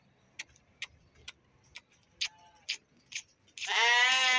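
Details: Lambs and young sheep let out of their enclosure to exercise; a series of sharp clicks or taps precedes one loud, quavering harmonic bleat rising in at the close.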